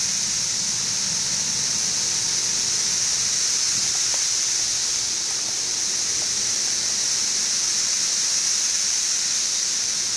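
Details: A mass chorus of 17-year periodical cicadas, Brood XIV, in Frankfort, Central Kentucky, in June 2008, about two weeks after they emerged. It forms a steady, high, hissing drone with no breaks. An air conditioner runs about 20 feet away.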